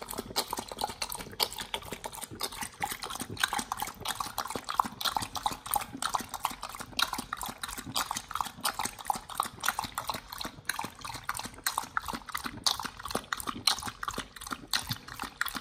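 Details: Pit Bull named nomyen eating a raw beef shank combo with green tripe, chicken feet and quail egg; dense wet crunching and tearing bites, rapid irregular chewing clicks throughout, with a close, moist feeding texture.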